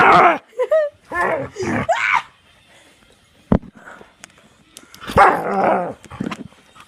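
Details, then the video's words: A dog barking and yipping excitedly in reaction to click noises. A burst of sharp barks and a rising yip fills the first two seconds, a loud click follows, then another round of barking near the five-second mark. "Dog goes bonkers over click noises"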